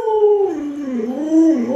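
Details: Alaskan Malamute named Luoluo, a pet dog reacting while its owner is sick in bed, gives a tonal howl that slides down from a mid pitch, dips, then rises again in a wavering line.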